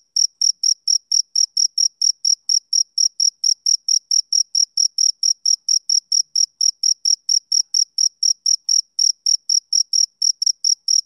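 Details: Male cricket on a summer evening, chirping in a continuous regular rhythm of high, piercing pulses at roughly four per second. Quiet background.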